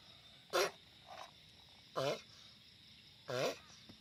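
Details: Giant sulcata tortoise sounding off loudly with three rasping, wavering grunts about 1.5 seconds apart and a faint softer call between the first two, over a steady high hum.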